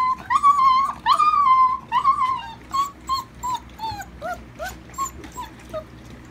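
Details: Giant Alaskan Malamute puppies whimpering: a run of high, tonal, whining cries, the first ones long and drawn out, then shorter falling whimpers repeated about once a second and fading softer toward the end.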